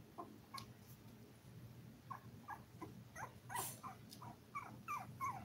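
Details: Toy Poodle puppies, five weeks old, from a litter of seven on a livestream; spaced high squeaks and yips, a brief rustling thump midway, then sharper whining notes toward the end, over faint steady hum.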